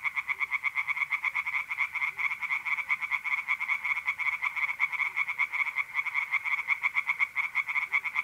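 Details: Tree frogs calling nonstop from a pond by night in mid-April, north-east Italy: quick raspy croaks repeated in a dense unbroken rhythm, several frogs together.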